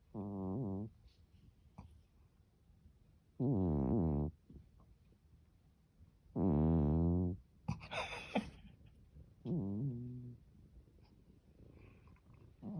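A Norwegian Forest cat snores steadily. Each breath makes a deep, buzzy rattle lasting about a second, followed by a quiet pause, and there is a faint rustle in between.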